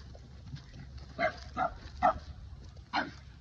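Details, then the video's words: Boston Terrier barking at a Keeshond, upset and offended that the other dog took his favorite ball; four short, gruff barks, three close together and one after a pause, over a low indoor hum. "Hilarious Boston Terrier Barks At Keeshond Because He Took His Favorite Ball!"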